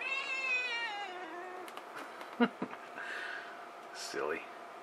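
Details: Domestic cat yelling indoors: a long harmonic meow sliding downward over about a second and a half, followed by clicks, scratchy handling noise and a short rising-falling vocal near the end.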